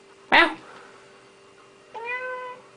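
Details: Noisy Siamese cat answers with a short, clear meow that starts low and bends upward, following a sharp loud burst of human sound earlier; a faint steady hum runs underneath.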